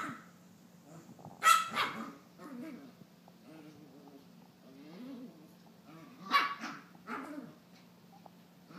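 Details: Young female Maltese, around nine months, frantically chasing her tail after a bath at home; bursts of sharp barks separated by low grumbling growls, barks clustered near the second and the seventh second.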